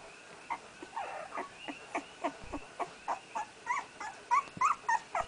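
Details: Red, the first-born puppy of Aina's first litter and first to walk, crying while trying to move: steady run of high whimpering yelps, roughly three per second, growing louder and more tonal toward the end.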